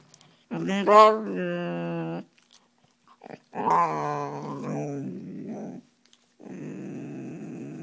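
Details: Bear, a five-year-old soft coated wheaten terrier, growls at his owner indoors and wags when she walks away. He gives two drawn-out, moaning growls of about two seconds each, then a quieter, rougher rumble, in a small room.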